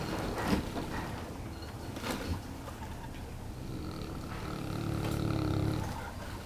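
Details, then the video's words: Sound asleep, Neapolitan Mastiff Brego, nearly a year old, gives a deep rattling rumble broken by snorty catches, then builds into a louder, drawn-out snore toward the end. "snoring neapolitan mastiff brego"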